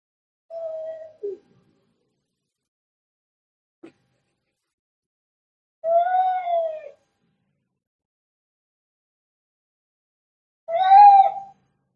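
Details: Angry fighting cat giving three separate harmonic yowls, several seconds apart. Each is short and tonal, the later two louder and fuller, with silence between them.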